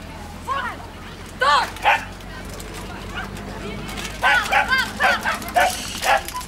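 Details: Poodle recorded in Delft on 19 June 2011 at a kennel club gathering, yelping in sharp arched barks, a rapid run of them toward the end, over background voices.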